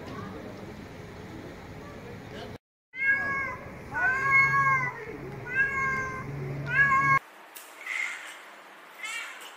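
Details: Domestic cat meowing in short arched calls with rich harmonics, several in a row after a brief silence, mixed with a low steady hum and background noise, ending in a noisy hiss-like stretch.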